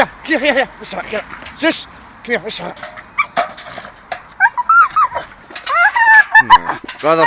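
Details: Two Staffordshire terriers chew a dustbin lid dangling from a tree. Choppy yips and rising, wavering whines come in uneven bursts with rustling and knocking in between.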